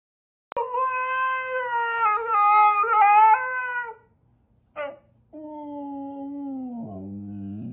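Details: A husky howls in drawn-out wavering notes for about four seconds, then a brief yelp, then a lower howl that slides downward at the end.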